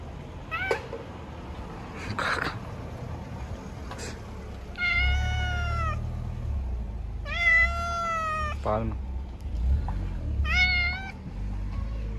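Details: Stray cats living on the street, being fed, give long drawn-out meows that hold steady then dip at the end, three clear calls plus shorter chirps, with low traffic rumble and quiet speech between.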